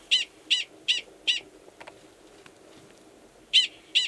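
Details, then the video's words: At Valles Caldera National Preserve in New Mexico, March 2017, a male Gunnison's prairie dog gives a mating call, identical in sound to an alarm call. Four evenly spaced high chirps, a two-second pause, then two more. "Prairie Dog Mating Call"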